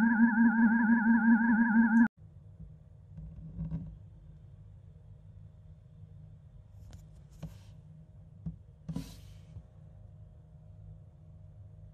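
A brief wavering electronic tone, then quiet room hum with a few soft clicks and taps.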